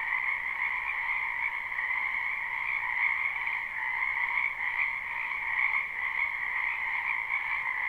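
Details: Dense spring chorus of many frogs in a wetland, recorded live without looping: a steady, unbroken shimmer of overlapping croaks in two bright bands, one mid-pitched and one higher, holding level throughout with no other sounds.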